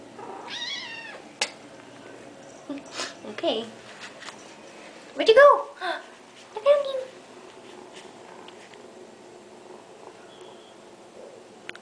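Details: Pet kitten chatting in the morning: a short arched meow early on, then brief chirps and clicks scattered among a woman's talk and handling noises indoors.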